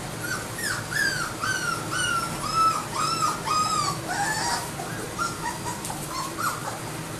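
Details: Labrador Retriever puppies whining steadily, a run of arched high cries and a few flat sustained whines, many pups overlapping throughout.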